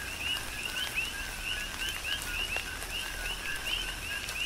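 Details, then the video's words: Coqui frogs on the Big Island of Hawaii calling through tropical rain, a steady train of bright rising chirps roughly every third of a second from overlapping frogs, with drips striking nearby surfaces. "Tropical Rain & Coqui"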